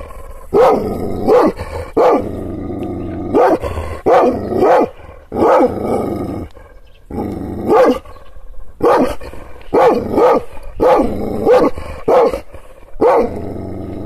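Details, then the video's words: Kangal shepherd dog barking angrily after being provoked by hand gestures: about thirteen loud, rough, deep barks over fourteen seconds, often in quick pairs, separated by short pauses over a low background hum. "Yırtıcı kangal köpeği anadolu aslanı çoban köpeği kızgın köpek havlamasi"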